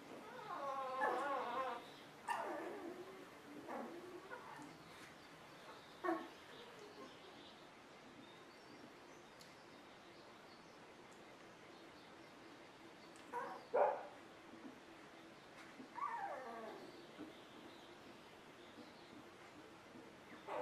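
Golden Retriever puppies whimper and squeak in brief, rising bursts against quiet background hiss.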